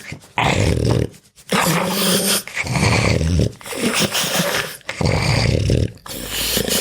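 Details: Pug dog sleeping, grunting and puffing: loud rough growling grunts in three long bursts separated by short breathy pauses, with a low rumbling rasp throughout, indoors.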